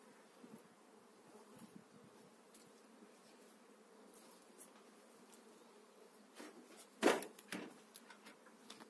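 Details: Spring hive transfer of honey bees from eight frames into a new hive: a continuous low buzzing hum throughout, with scattered clicks and a loud knock near the end.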